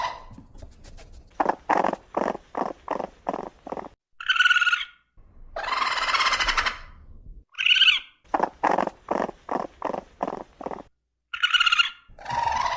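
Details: Sharp clicking chitters from a raccoon come in fast trains of about eight, alternating with a drawn-out harsh hiss and short, piercing nasal squeals.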